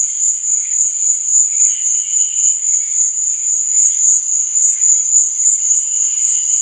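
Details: Night crickets keep up an unbroken, piercing high trill that swells and fades rhythmically several times a second, with soft, lower warbling tones drifting underneath.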